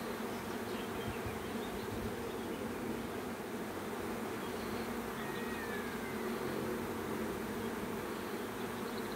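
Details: A bee swarm hums in a constant, dense drone of countless wingbeats, even in loudness throughout, with faint higher whistles in the background.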